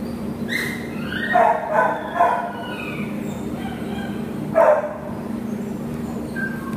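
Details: An American Pit Bull Terrier named Nala, awaiting adoption in October 2015, lets out a few separate barks, two close together early and one later, against a humming background.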